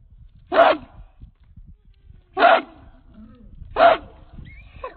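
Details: American Pit Bull Terrier, a 66-pound male, barking on the chain: three loud, deep single barks spaced about one and a half seconds apart, with low rustling in between.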